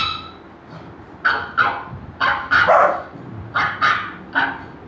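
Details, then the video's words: Young Golden Retriever reacting to barking: a string of sharp, bright barks spaced roughly a third of a second apart, some doubled, after a quiet opening second, with a faint low hum underneath. "Golden retriever puppy reaction on sound of barking"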